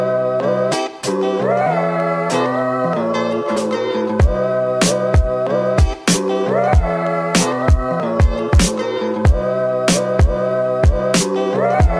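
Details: Bluesy slide guitar plays with sliding notes and sharp plucked accents, and no animal is heard.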